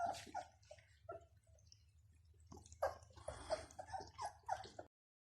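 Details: Bloodhound (Chien de Saint-Hubert) puppies at Rue du Vieux Canal: soft, short high whines and yelps in quick irregular bursts, pausing briefly midway before several more clustered squeaky cries, all recorded faintly indoors.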